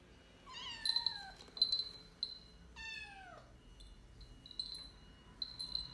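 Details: A young American Shorthair kitten, apparently pressured while her owner tried to keep her company as she adapted, gives two high, downward-sliding meows.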